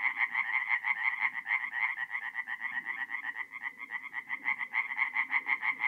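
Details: Night chorus of tree frogs at a forest pond in North-East Italy, mid-April: rapid, rasping croaks overlapping in a continuous pulsing stream, swelling and easing slightly, faint low rumble underneath.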